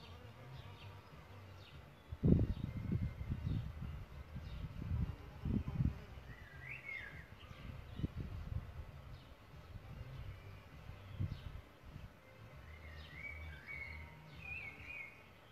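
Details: Solitary bees around their bug hotel nest site, giving deep, uneven buzzing passes that come and go in short loud bursts over several seconds. Small birds chirp in brief twittering phrases in the background.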